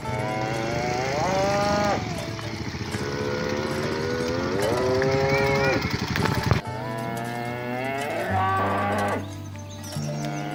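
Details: Cattle herd being driven to the pen through a rice field ditch in a village: long rising and wavering moos, the first swelling around two seconds and another drawn out near the middle, over steady background music.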